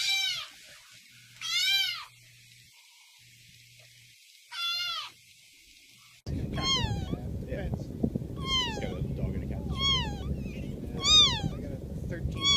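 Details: Angry domestic cat making weird, feisty noises: arched meows sweeping down with rich harmonics, a few spaced calls over quiet, then a denser run of repeated meows roughly every second over a loud low rumbling background.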